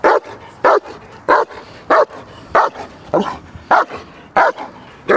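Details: Trained German Shepherd protection dog barking hard and steadily during guard work, loud harsh barks repeating roughly every 0.6 seconds, some doubled, over a quiet low background.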